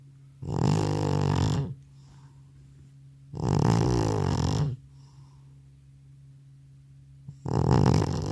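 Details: Rhythmic, resonant snoring by an old cat collapsed asleep after a hospital visit: three harsh low snores, each over a second long, returning about every three seconds against a quiet indoor hum.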